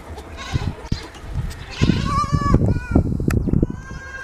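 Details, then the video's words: Goat drinking its mother's milk in the morning; a short, wavering, nasal bleat rises briefly mid-clip over steady low thumping and rustling. "Morning time goat 🐐 drinking milk 🥛 relaxing sounds"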